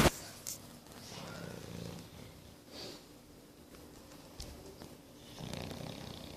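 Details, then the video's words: A 9-month-old English Bulldog snores with low, rumbling breaths and soft snorts. "English Bulldog Boris snoring"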